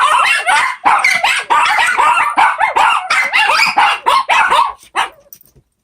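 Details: Shih Tzu puppies, four together, sing in bursts of yipping barks and sliding whimper-like howls, closely spaced and loud, then trailing off into a few faint yips and silence at the end.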